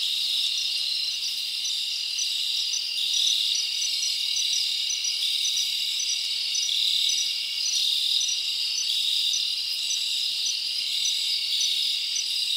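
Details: Summer night in the forest, with many crickets chirping together in an unbroken high-pitched drone, short repeated tonal pulses woven in and gentle rises and falls in intensity.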